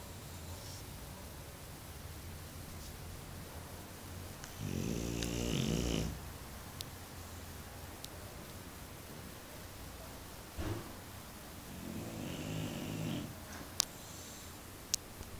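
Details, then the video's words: A bulldog named Mario, deeply asleep, gives two rough, rattling snores about seven seconds apart, each lasting one to two seconds, over a steady low hum with a few sharp clicks. "Funny Bulldog Snoring"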